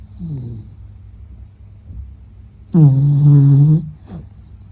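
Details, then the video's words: A sleeping Beagle named Meta snores: faint breaths give way to a single long, deep, rattling snore of about a second, then a short trailing exhale in a quiet room. "比格犬睡觉白噪声 Snoring"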